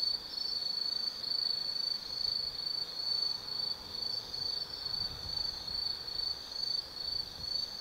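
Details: Autumn insect chorus at night in the forest of Tsukimi no Mori, Gifu Prefecture, Japan: a high, sustained trill that swells and fades in soft pulses roughly twice a second, layered voices overlapping in a calm setting.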